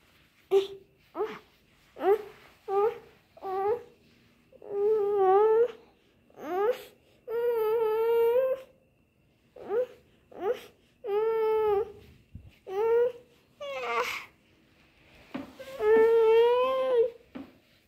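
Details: Kittens crying in a steady run of about a dozen meows, each a second or two apart. Some are short and clipped, others long, wavering and plaintive, with a faint hum underneath.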